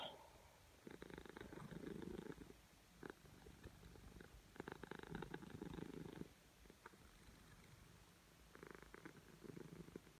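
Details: Siamese cat purring while hungry before breakfast, a quiet low buzzing purr in rhythmic stretches of one to two seconds separated by pauses, indoors.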